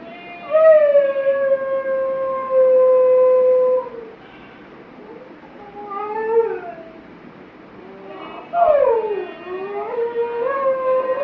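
A Mudhol Hound gives long, wavering howls that slide up and down in pitch.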